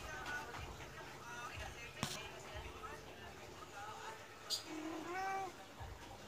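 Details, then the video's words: A medium Persian cat begs for food despite having just eaten, behaving as if annoyed; soft, faint mews give way to one louder, falling meow near the end, with a human voice and a sharp knock heard. "kucing meong meong meminta makan"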